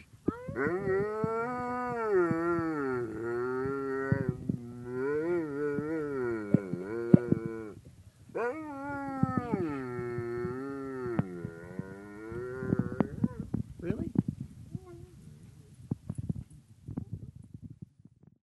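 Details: A pet German Shepherd named Boots produces long, wavering, howl-like calls in two drawn-out bouts, the pitch rising and falling like talking. The calls end in scattered rustling and clattering noises.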